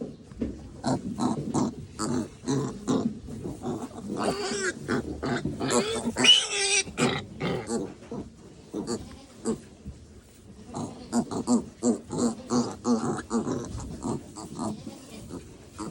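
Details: Eighteen-hour-old farm piglets give rapid, choppy grunts and squeaky snorts, nearly three per second, in overlapping bursts. A louder rasping stretch comes midway, and a person speaks faintly.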